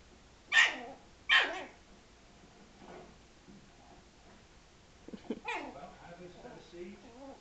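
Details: Frankie the Yorkshire Terrier, mad at a ball that struck him, gives two sharp barks a second apart, then softer grumbling sounds and one more bark, mixed with a person's voice urging him on.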